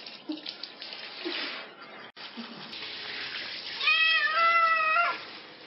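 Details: Cat with fleas being bathed lets out one long, rising-then-level meow near the end, after a stretch of running tap water and splashing.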